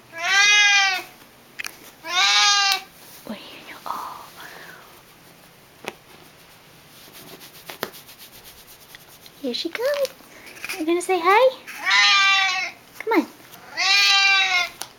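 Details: An excited male Siamese cat, almost 11 years old, greets a family member coming home from work with loud, drawn-out, harmonic-rich meows, with a person's voice speaking between them.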